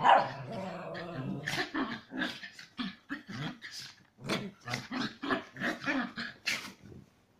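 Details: Chihuahua cross dogs during aggressive play, making a fast string of short snarls, yips and barks, roughly two or three per second, choppy and rising in pitch at times.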